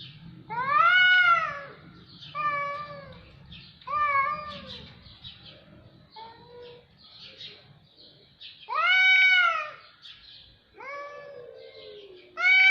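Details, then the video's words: Series of cats meowing, repeated drawn-out wailing meows roughly every one to two seconds, each bending up then down in pitch, varying in length and loudness, some short and soft, others long and loud. "صوت قطط رهيب"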